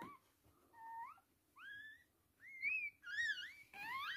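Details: High, whistle-like squeaks during a Toy Poodle's birth of three female puppies, in a small room; each short cry slides upward in pitch, and the cries grow louder and more tightly spaced toward the end.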